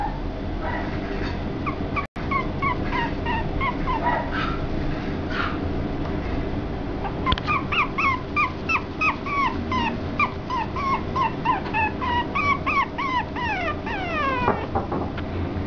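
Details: A young Chihuahua-Papillon mix dog, expected to stay under 3 kg as an adult, whimpers in rapid, high, wavering whines over a low steady hum.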